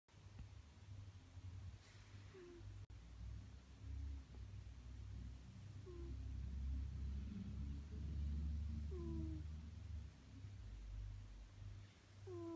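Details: A sleeping cat snores softly in a low, steady rumble of slow breaths, with a few faint, brief, high chirps in the background.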